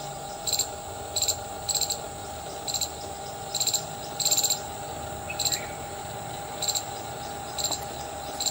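An Indian palm squirrel gives sharp, high chirps in quick bursts, repeated every half second or so.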